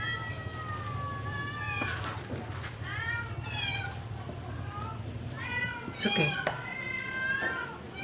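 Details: Sick stray cat during force-feeding, uttering a string of wavering, drawn-out meows that rise then fall, several overlapping in quick succession, over a low steady hum with occasional handling clicks.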